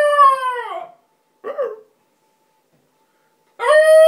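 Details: A female Basenji, whose owner is away, gives drawn-out, wavering howls with rich harmonics, broken by a short yodel-like yelp, while a person howls back to egg her on.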